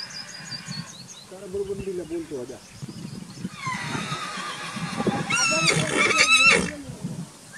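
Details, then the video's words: Marwari horse, an Indian breed, gives low quavering voiced sounds early on, then a shrill, wavering, harmonic-rich whinny late in the clip, with people talking in the background. "Marwari horse"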